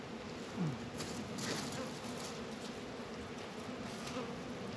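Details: Faint, even drone of honey bees at a beehive in northern Kentucky on a mild 72-degree winter day in February, with a brief thump near the start and steady background hiss.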